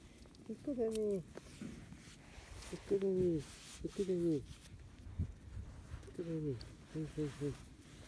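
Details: Field-line Labrador Retriever puppies, 31 days old, out running on grass. Short, high whines slide downward. They come in scattered bursts, with a quick run of three little whimpers near the end. Faint outdoor background.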